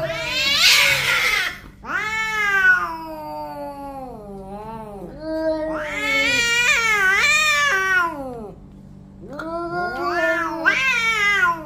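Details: Two orange cats in a fight trade loud yowling caterwauls, a harsh hissing burst opening, then wavering, bending howls that swell and fade in several long bouts.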